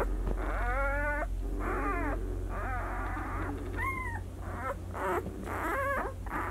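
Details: Newborn White Swiss Shepherd pups, six days old, Sienna / Valentino 2019 litter, making short, broken squeaks and whimpers, overlapping and somewhat muffled, over a low rumbling hum.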